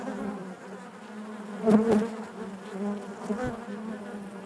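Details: Short stretch of honey bee hive buzzing: a constant low hum overlaid by a loud close buzz swelling and fading around the middle, then settling back to the even drone of the colony.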